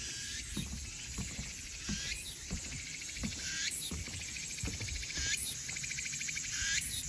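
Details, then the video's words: Elusive crickets and cicadas calling in Haenam: a steady, thin, very high whine runs throughout, overlaid by pulsing raspy buzzes that swell roughly every one and a half seconds, with low irregular thumps and rustling beneath. "Sound of elusive crickets and cicadas"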